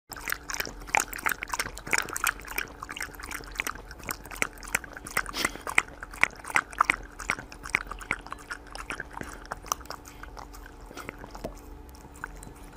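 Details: Bounce the Corgi eating indoors in a close, mukbang-style recording: rapid, irregular crunchy chewing clicks, roughly three per second, over a steady low hum.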